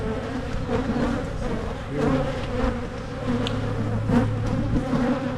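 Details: Honeybees on frames of a Michigan hive being inspected for queen cups, drone brood and mites while splits are made against swarming; steady humming buzz that briefly swells louder, with light frame knocks.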